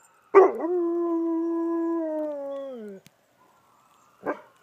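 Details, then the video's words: Howling dog reacting to an ambulance siren. A rough onset leads into a steady, level tonal howl for over two seconds, which slides down at the end. After a pause, one short harsh bark follows. "Dog talks to Ambulance"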